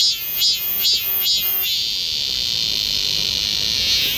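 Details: Summer cicadas in the forest of Galsan Park, Mokdong, Yangcheon-gu, Seoul, buzz in a loud high chorus, first in quick pulsed bursts, then as a steady drone.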